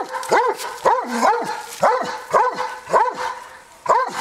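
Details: A Dobermann vocalising at a horse gives a run of short, yelping barks that rise and fall in pitch.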